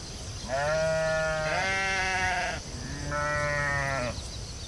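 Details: Sheep in a field bleating: two long, wavering, nasal bleats, the first about two seconds and the second about one second, separated by a short pause, over a steady hiss of insects in the background.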